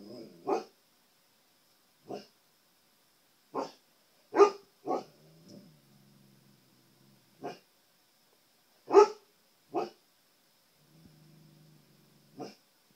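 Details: Indoor male husky trying to communicate with his reflection on a TV screen: about ten single barks spread unevenly, with low rumbling growls in between and a faint steady high electronic whine throughout.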